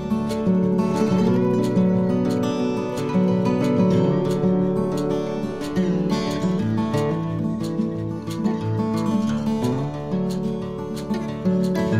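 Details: Strummed acoustic guitar music plays continuously, with no animal sound present.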